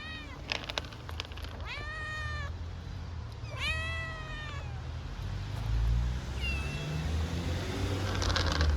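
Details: Homeless hungry kittens on a street in Istanbul, waiting to be fed: several short, rising-falling harmonic meows, with two clear bursts near the start and a fainter one later, over steady low street rumble.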